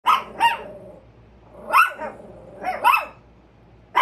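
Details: Two pet Chihuahuas on alert barking at a squirrel: sharp, high yappy barks in pairs, two pairs about 1.5 seconds apart, with faint low hum beneath.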